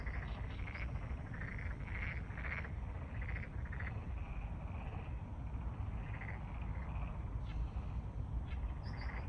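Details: Black-spotted pond frogs calling at night in the empty Pureun Arboretum, Seoul, heard faintly like white noise. Short bursts of croaking come from a distant chorus over a steady low rumble of wind.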